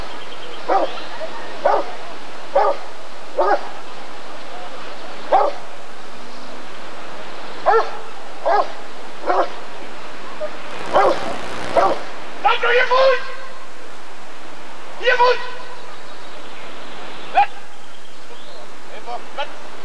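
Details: Barks of a Rottweiler at the ADRK breed survey (Körung) of 1994, coming in irregular clusters of sharp single woofs, with a brief hiss of noise midway and faint human talk behind.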